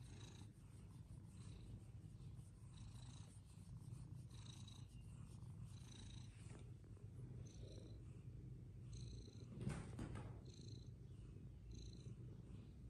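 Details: Fluffy Persian cats at play, a steady low purr rumbling throughout with faint repeated high tones above it and a brief louder knock near ten seconds.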